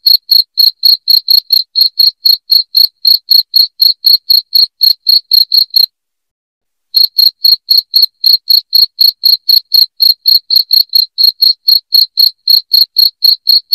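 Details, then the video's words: Cricket chirping loudly and shrilly, played to help drive rats out of a house; rapid, even pulsed chirps repeating about four times per second, with a brief silent gap midway through. "SUARA JANGKRIK NYARING PENGUSIR TIKUS"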